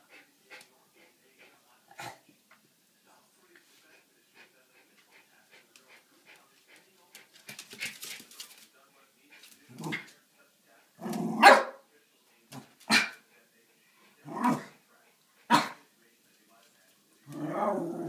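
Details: Early-morning play between two Schipperke dogs, Snowflake and Skipper, at 4 am: quiet ticking and scuffling at first, then a run of short gruff growling yaps spaced about a second or two apart.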